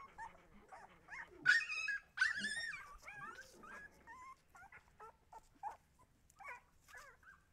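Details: Siberian Husky puppies whimper and yip. Squeaky, high whines slide up and down, with a louder cluster of squeals near the start. Thin, short whines then follow roughly every half second, growing quieter.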